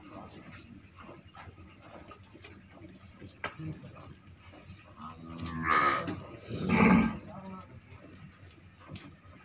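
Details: Purebred Red Sindhi cow in her second lactation, filmed while being milked; two loud, rough lows come close together midway, with people talking and milking sounds throughout.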